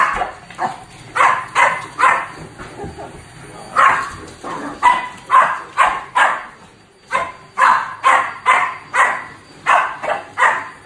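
A Shih Tzu barks in quick, sharp bursts, a little over two per second.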